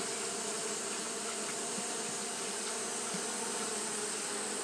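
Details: Japanese honey bees fanning steadily on a hot day: a dense, unbroken buzzing hum with low droning bands and a bright hiss above, holding level throughout with no pauses.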